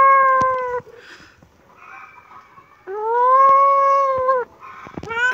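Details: Kitten giving two long, steady, drawn-out meows, the second lasting about a second and a half, with quieter shuffling between them and a short rising cry at the end.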